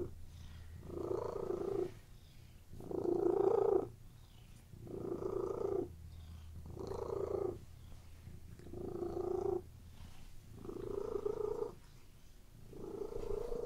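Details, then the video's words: Relaxed house cat lying on a bed, purring in an even rhythm: seven distinct rumbling breath phases about two seconds apart, each louder and fuller, separated by softer low purring. "CATS PURRING RELAXING CAT VIDEO"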